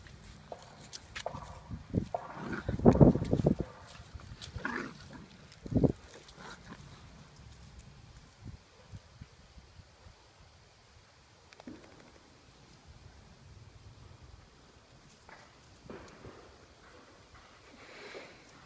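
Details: Two Blue Lacy puppies, a brother and sister, playing in a yard: a gruff burst of growling and grunting around three seconds, a shorter snarl near six seconds, then scattered soft scuffling noises and quiet outdoor background.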